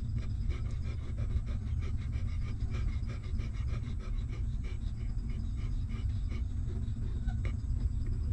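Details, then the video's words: Hungry newborn puppy of a stray mother dog suckling milk: rapid rhythmic wet sucking clicks and soft panting breaths, several each second, running steadily over a constant low rumble. "Cute Hungry Puppy Sucking Milk"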